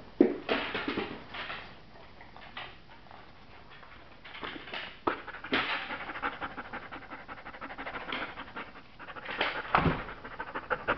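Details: Lilly, a female Border Collie up for adoption after being signed over by her owners, panting in quick breathy huffs that come in bursts and pauses, with light scratching and soft handling noises in between.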